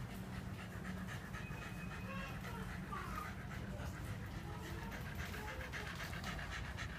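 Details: On a November 2015 morning, a Shiba Inu pants hard after running beside a bicycle on its second walk; rapid, even, airy breaths, clearest toward the end, over a constant low hum with faint tonal sounds.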